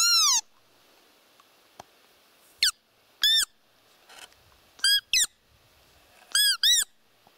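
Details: Wild roe deer, a doe with fawns, in their natural habitat in the Trans-Urals: short, high, squeaky calls with rich overtones, some falling and some arched, mostly in close pairs, seven calls over about seven seconds against a quiet background.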